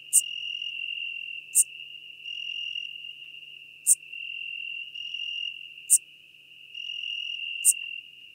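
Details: Schmidt's marbled bush-cricket singing near Venezia, Italy, on 2 September 2021: brief, sharp, very high chirps roughly every two seconds, set against a steady continuous high-pitched drone with faint short tones between them.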